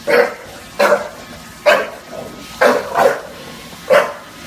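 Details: Junior, a bulldog in New York City, barks at a Roomba: five sharp, mid-pitched barks spaced irregularly about a second apart across a few seconds, with a quiet background hum between them.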